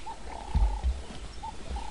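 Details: Wild African wild dog pack feeding frantically in mass excitement on an adult male impala killed by Jiggy; thin, whistled, steady-pitched notes come several times within two seconds over low thumping chewing and handling sounds.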